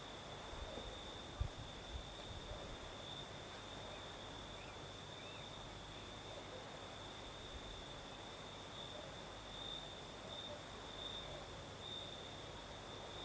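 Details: Crickets chirr continuously at night in the south of Crimea, a high steady trill with a faint upper layer, over breeze noise, with one short dull knock early on.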